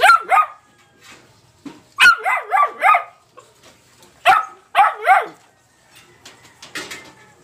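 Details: Young black Labrador Retriever named Tom Tom, filmed between two and seven months old: short yelping barks in quick clusters of two to four, with brief quiet gaps between bursts.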